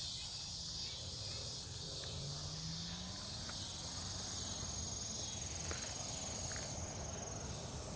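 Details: Cicadas at night in woodland near a farm, Omaha, Nebraska, 08 03 2021: piercing sizzling bursts of roughly two seconds rise and fall in repeated waves over a low rumbling background.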